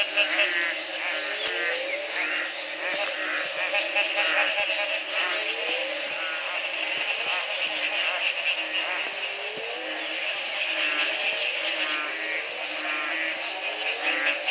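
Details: Frogs calling in a dense chorus at the Community Baboon Sanctuary, Belize, in 2010, the morning after a single night of rain ended a three-month drought; rising upswept notes recur every second or two over a steady high-pitched trilling wall of sound.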